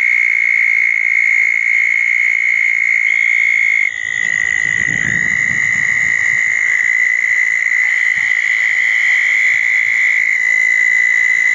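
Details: Southern toads calling at a pair of small dug ponds on a wet night after a thunderstorm, June 10, 2014; a steady high trill runs throughout, briefly broken by a low rumbling noise, with fainter buzzy calls above.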